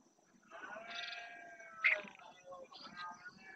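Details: Red deer stag roaring during the rut in the Doñana National Park marshes, Spain, claiming territory: a harmonic, groaning bellow of about a second, followed by a short sharp note, with small birds chirping in the background.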